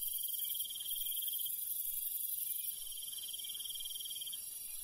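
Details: Crickets calling in the countryside at night, a quick high pulsed trill held for several seconds, over a continuous shrill insect hiss with a soft low murmur beneath.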